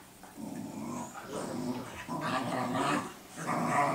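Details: Two dogs, Cooper and Sophie, growling at each other in a guard-dog lesson; a steady, grumbling growl rising and falling over a few seconds.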